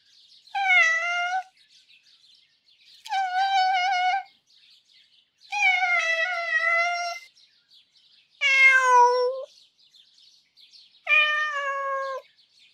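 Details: Marty, a domestic cat whose voice has a longing and sad character, recorded for a cat vocal library: five clear, drawn-out, mournful meows, each roughly one second long, repeated about every two and a half seconds in a quiet setting.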